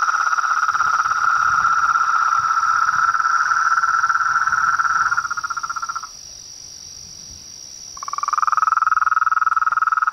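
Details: Frogs and toads in chorus, a continuous fast-pulsed trill holding one mid pitch for five seconds, falling silent for two, then starting again, with a constant high-pitched whine running above.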